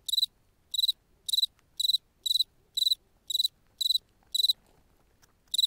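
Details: Cricket at night on the steppe of Ukraine, singing steady high-pitched chirps, each a short pulsed burst, repeated about twice every second against a quiet background.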